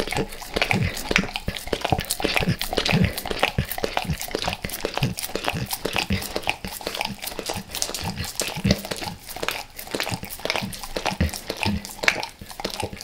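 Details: Dog named Max eating natural peanut butter and peanut butter oil before he left El Paso, heard in a small room: dense wet licks and sticky chewing smacks, uneven in rhythm, with faint crinkling.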